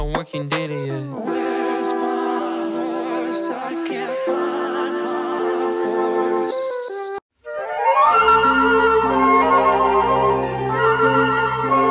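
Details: Flute-like woodwind music with layered tones and a brief silent break near seven seconds, then denser music resumes; no animal voice present.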